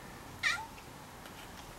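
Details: Silver tail-less female tabby cat watching snowflakes, giving one short bright meow that starts high and slides downward, followed by quiet room sound and a woman's soft voice nearby.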